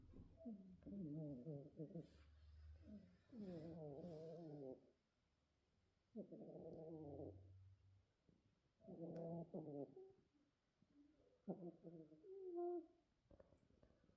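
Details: Sleeping kittens, one white, one ginger and one black, snoozing together. Rhythmic snores come as low, buzzy, harmonic bursts lasting one to two seconds, each followed by a quiet gap, repeating every few seconds in a still room.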